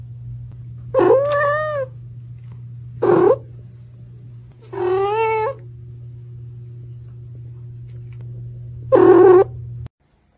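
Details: Kittens meowing four times across roughly nine seconds: short, plaintive cries separated by quiet gaps, some wavering and falling at the end, with a steady low hum underneath.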